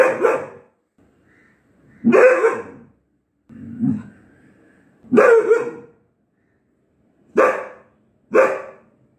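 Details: Young Mudhol Hound, four months old, barking on night duty: six sharp, separate barks at irregular intervals of one to two seconds, with a softer, lower growling bark near the middle; surroundings otherwise quiet.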